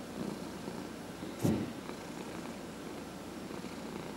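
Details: Cat purring under massage, one of four pets including senior rescued cats; low steady purr interrupted by a sharp brief knock or snort-like burst around one and a half seconds.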